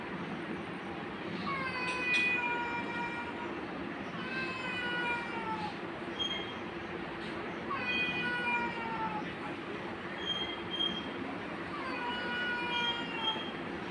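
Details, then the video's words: Angry domestic cat attacking a kitten: repeated drawn-out, wavering meows with strong harmonics, each about a second long, coming in bursts every two seconds or so over a steady low hum. "Angry Cat attacking Kitten"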